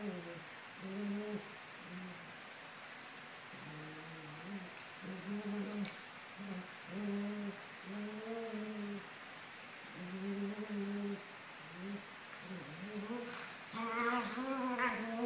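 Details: Two Maltese dogs, Sunny and Moony, 17 months old, playing indoors: drawn-out harmonic whines and grumbling moans come in short arched bursts about once a second, with a brief higher, rising cluster of yips near the end.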